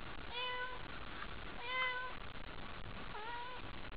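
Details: Domestic cat named Haiko, meowing at night while over-excited by a toy: three harmonic meows at about one-second intervals, each steady and slightly falling, over a low indoor background hum.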